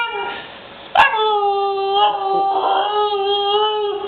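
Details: Siberian Husky puppy Tundra, female, crying when called a crybaby by her owner; a sustained, slightly wavering howl holding a steady pitch for about three seconds after a sharp knock, with faint talk behind.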